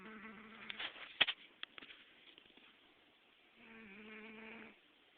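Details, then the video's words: Domestic cat Gambit snoring in his sleep as he dreams, July 2009; a quiet droning snore opens and another returns later, with a few sharp clicks and rustles in between. "Snoring cat"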